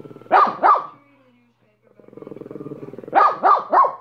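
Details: Minnie the dog gives two sharp barks, then a low rattling growl, then three more quick barks in a row.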